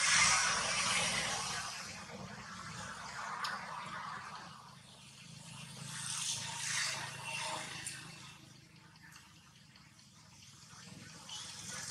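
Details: Soft swelling rush of hiss with faint drips and rustling, and no animal voice at all.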